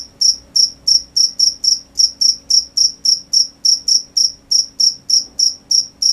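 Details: Crickets chirping at night in a brisk, fairly regular series of shrill high pulses, roughly twenty in six seconds, each short and trilled, over near silence.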